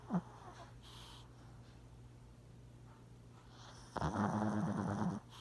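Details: Gus Gus, a sleeping puppy, recorded in 2017 indoors in a small room: a short snort, then a loud rasping snore drawn out for over a second with a low buzzy tone, quiet breathing between.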